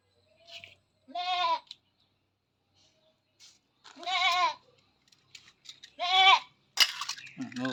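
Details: Goat restrained during artificial insemination on a goat farm bleats three times, each a short, quavering, nasal cry about two seconds apart, with a man's voice speaking at the end.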